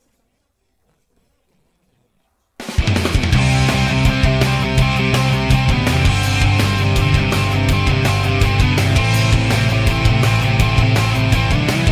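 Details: Near-silence for two seconds, then loud, driving rock music with heavy guitars and steady bass. No animal sound can be picked out.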